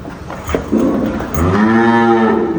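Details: Dairy cattle at a farm in Dhaka, Bangladesh, among heifers and milking cows; a low harmonic moo swells up after a second of muffled background noise and holds steady to the end.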